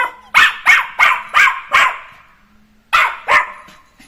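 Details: Jack Russell terrier puppy playing after being let loose: a quick run of five sharp barks, a brief pause, then two more barks.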